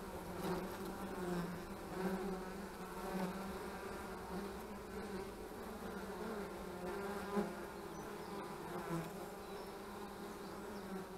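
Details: Honey bees buzzing at the hive on 25 March 2015, loud overlapping hums with strong tones near 200 that rise and fall as bees fly past, forming a continuous drone.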